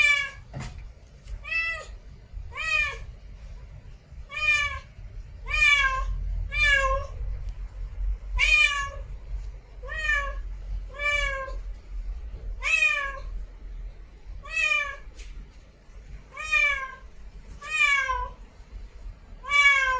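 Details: Female domestic cat in heat calling for a mate: a fast run of about thirteen drawn-out, rising-then-falling meows, each rich in harmonics, spaced one to two seconds apart, with a low rumble underneath.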